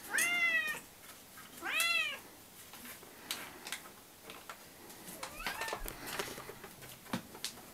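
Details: Indoor pet cats demanding their breakfast give two loud, arched meows about a second and a half apart, then a fainter meow amid clicks and light household clatter.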